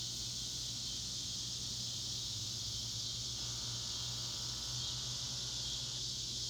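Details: Massed cicadas in the North West Arkansas Ozarks keep up a piercing, even-toned buzzing drone for the whole stretch, with a low steady hum beneath.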